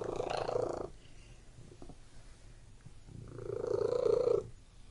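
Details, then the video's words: Close purring of a domestic cat: two vibrating bursts separated by a quiet two-second stretch, the second phrase swelling louder before cutting off. "WHEN CAT MEOWING AND PURRING"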